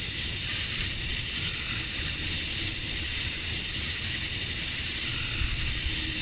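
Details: Steady high sizzling drone of male cicadas calling for females at summer dusk in Georgia, USA, even in volume and texture with no breaks, over a quiet low background.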